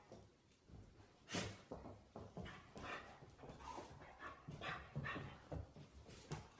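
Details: A 10-week-old female Irish Terrier puppy and a 5-year-old male play-fighting in the puppy's new home. Rough, low growls and short snarling bursts come in quick, uneven succession, with scuffling between them.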